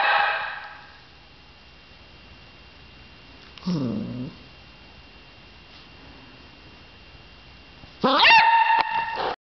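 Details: A beagle barks at a dead bee, giving a few sharp, high barks separated by long quiet gaps.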